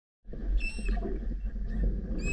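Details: Manatee mother squeaking to her calf as the pair swims beneath the recorder underwater: short, high whistled squeaks near the start and end over a constant low rumbling, bubbly water noise.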